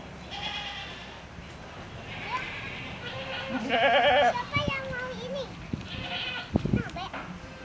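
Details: Bleating Saanen goats at a goat farm, overlapping quavering calls, the loudest a strongly vibrato bleat near four seconds, alongside human voices and clattering knocks toward the end.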